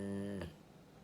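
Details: Jiji, a male rescued Labrador–Schnauzer mix, snoring loudly while asleep: a low, buzzing, droning snore lasting under half a second before fading into quiet.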